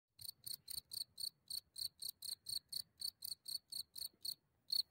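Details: Cricket emerging from its hole at night in Germany, recorded close up from a few centimeters away: a steady series of short, bright, shrill chirps around two per second, with faint low rustling beneath.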